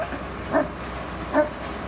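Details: Newfoundland dog in snowy Canadian winter barking at a snow removal truck; two loud, deep, harmonic barks nearly a second apart, each brief and punchy, over a low steady engine drone.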